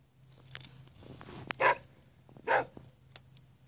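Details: A neighbour's visiting dog that does not bark normally, giving a rapid-fire, yodel-like bark: two short, harsh, noisy bursts about a second apart, with faint clicks and a quiet hum between.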